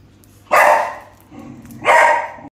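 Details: A male puppy gives two sharp, loud barks about a second and a half apart, with a quieter whine-like sound between them, in a quiet room.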